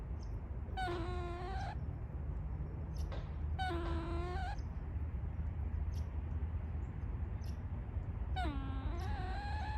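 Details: A gray squirrel (Sciurus carolinensis) in woodland, possibly Canada, gives three drawn-out, whiny moaning calls, each about a second long, over a low rumble; their meaning is unknown, perhaps a warning or complaint.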